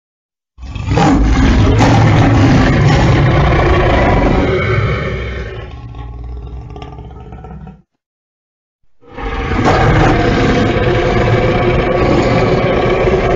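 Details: A lion (Panthera leo) roars in deep, rasping bursts, broken by a brief pause.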